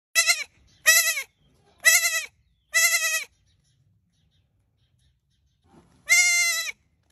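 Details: Baby goat crying with loud, quavering, high-pitched bleats, four spaced close together over three seconds, then a pause before a fifth longer bleat; otherwise quiet.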